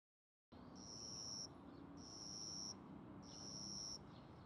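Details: Young cricket caught and kept indoors, wings spread while calling, a sound linked to territorial disputes; three long, steady high-pitched trills, each lasting about a second, separated by short gaps over a low room hum.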